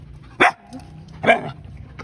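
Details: A dog gives two short, sharp barks about a second apart, each a bright burst, over low background hum.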